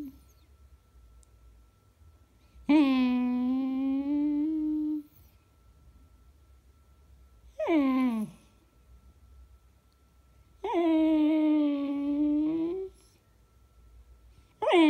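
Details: Beagle named Eva, recorded indoors on February 19, 2016: three drawn-out, steady, tonal howls of about two seconds each with rich harmonics, separated by quiet pauses, plus a shorter, sharply falling cry and the start of another.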